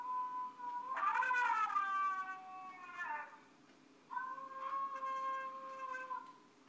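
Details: Alaskan Malamute howling along with a four-year-old boy. Two drawn-out tonal howls are heard. The first, from about one to three seconds, sinks in pitch. The second holds steady. A quiet background hum runs under both.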